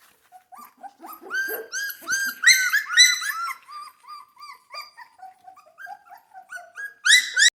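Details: Central Asian Shepherd Dog puppies, probably hungry and wanting to eat, make a mix of rising and falling whines and strained yelps, several callers overlapping, ending in a loud shrill burst.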